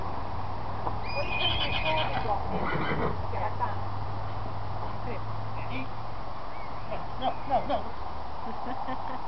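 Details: Welsh Cob colt whinnying: a brief harmonic call rises and falls in the first seconds, over a steady low hum, with scattered knocks and people talking nearby.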